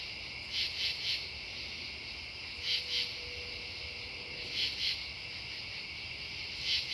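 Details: Several true katydids calling at Devonwood Conservation Area, September 10, 2015: short raspy pulse groups of two or three rasps recurring every couple of seconds, set against a continuous shrill background chorus of insects.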